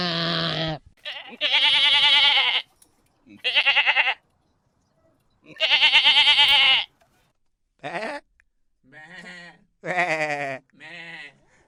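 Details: Goats making funny, adorable sounds: a busy run of overlapping bleats of mixed length and pitch, some long and strained, others short and quavering, following one another with barely a pause.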